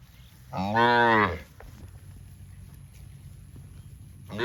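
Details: Cattle on a farm among dozens of tame cows in green grass rice fields; one loud, strongly harmonic moo lasting under a second, a quiet pause, and the start of another moo at the very end.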